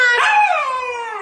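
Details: Four-month-old Husky puppy Kodiak vocalizing in protest at being told to come downstairs, a brief rich howl with a quick rise then a long sliding descent, loud and steady throughout, with coaxing words spoken just before and after.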